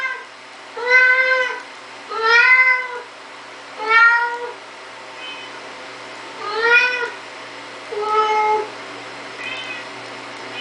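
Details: Siamese cat calling indoors while opening a door: a series of six clear, arched meows, each under a second, repeated roughly every one and a half seconds, with a quiet steady hum underneath.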